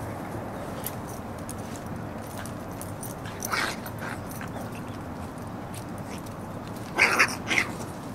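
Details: Red Shiba Inu puppies, 40 days old, now moving about more while their mother disciplines them more actively, filmed on a windy day: a brief high yelp near the middle, then two sharp whimpering yips close together near the end, over constant wind rumble.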